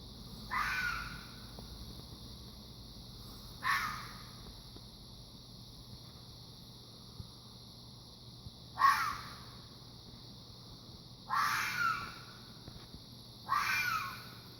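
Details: Fox. A fox calls with short, hoarse, scratchy cries, each under a second long, repeating every two to five seconds. A constant high insect hiss runs underneath.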